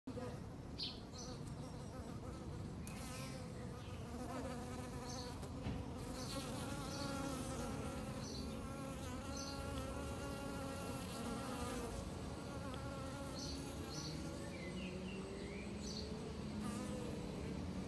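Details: Bees drinking water at an apiary, with sticks left in the water for them to land on: a steady, layered low hum of many wings, with faint high chirps recurring in the background.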